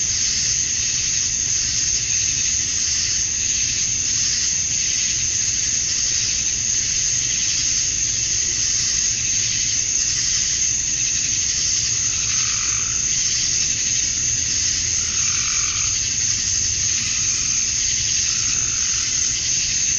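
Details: Summer-night cicada chorus at dusk in Georgia, USA, where males call to draw females; a constant high, hissing drone fills the background while a few soft lower warbling notes surface near the end.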